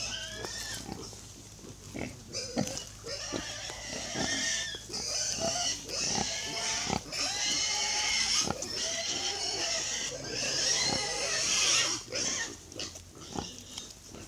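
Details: Baby pigs at feeding time on a farm, squealing eagerly: rapid, overlapping high-pitched squeals and grunts that rise and fall in dense bursts. Faint human voices can be heard in the background.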